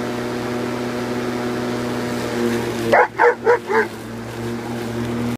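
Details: An Alaskan malamute gives four quick, deep woofs while going after a running lawn mower, whose steady drone continues beneath; barks.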